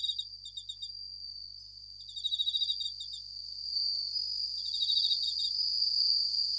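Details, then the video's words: Japanese bell crickets (suzumushi) at night: short, fast, bell-like pulse bursts recurring every second or two, one louder train near the middle, all over a persistent high continuous ringing background. "Japanese Bell Crickets at Night"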